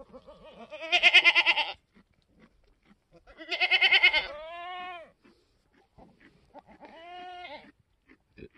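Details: Newborn F4 mini Alpine buckling, black with white frosted ears and nose, born on a homestead on March 13, 2021; two loud harmonic bleats near one and four seconds, then a fainter bleat near seven seconds.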